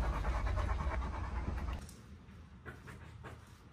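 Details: Irish Wolfhounds, three males, on a holiday walking trip to the lakes in constant rain; rapid, breathy panting pulses for almost two seconds, then softer, quieter breathing over a low rumbling background.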